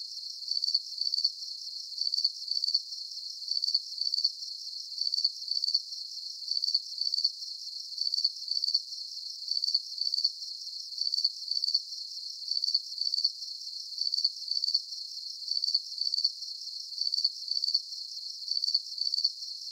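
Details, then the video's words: Rhythmic chirping of crickets as a deep-sleep nature sound. Piercing, pulsed chirps recur evenly about twice a second over a soft steady hiss, uninterrupted throughout. "Calming Cricket Sounds"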